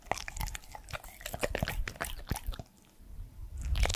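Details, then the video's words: Indoors, a 3-year-old male Pembroke Welsh Corgi named Edmundo chews food: a dense run of sharp crunching bites for over two seconds, a brief lull, then a louder crunch to finish. "MY CORGI DOG'S FIRST ASMR ✨scratching, mouth sounds and eating sounds"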